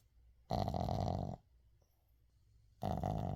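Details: Uijung, a Shih Tzu dog, snoring while asleep indoors, recorded unedited: two loud, rasping snore bursts, each about a second long, with a strong buzzing tone, separated by a quiet pause with soft breathing.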